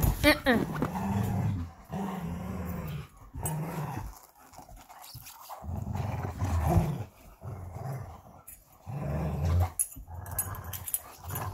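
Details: Tug-of-war play between Belgian Malinois Bullet and Apollo over their favorite toy: repeated low growling bursts with a brief high squeal at the start and some human speech in the background.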